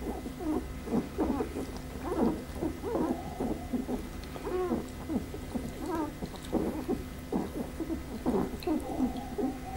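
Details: Whimpering from Pembroke Welsh Corgi litter A, Preberry, parents Image Čičiko and Danny Toivu My Delight: a dense chorus of thin squeals and arched whines from several pups, nearly continuous, over a steady background hum.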